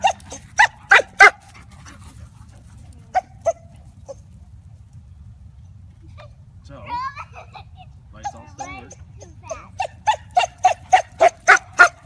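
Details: Basset Hound named Bella, one year old, playing with a puppy; bursts of short sharp barks, a quick cluster at the start, a pair near three seconds, then a rapid run of about nine barks at the end, with a soft squeal between.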